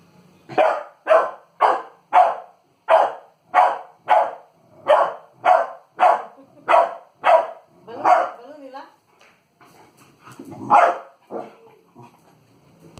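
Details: American Pit Bull Terrier puppy, three months old, repeatedly barking at a balloon during play: a steady run of about thirteen barks roughly every half second, then scattered softer yaps and a last louder bark.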